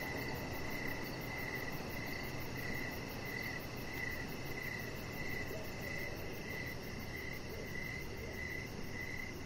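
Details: Crickets in the evening beside a deck, chirping in clear repeated pulses about every half second, a faster high-pitched ticking above and steady noisy rumble beneath.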